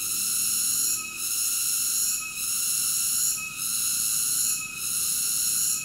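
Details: High, even cicada buzzing with ringing overtones, pulsing down and back up at a steady pace near one beat per 1.2 seconds, and nothing else audible.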